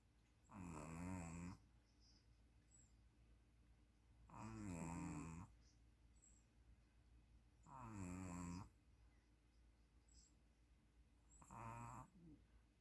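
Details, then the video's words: A puppy snores steadily while asleep. Four throaty, rattling snores each last about a second and repeat roughly every three and a half seconds in a quiet room. "DO YOU SEE A SNORING PUPPY?"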